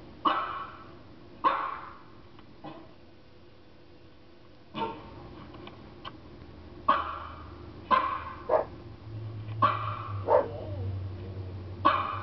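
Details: German Shepherd kept as a pet, barking at recorded dog barking sounds. Loud, abrupt barks come singly and in quick pairs, irregularly spaced across the stretch and growing busier toward the end, with a low hum underneath.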